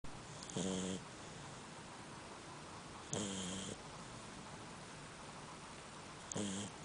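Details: A sleeping female Labrador Retriever snores in slow, rattling breaths about every three seconds.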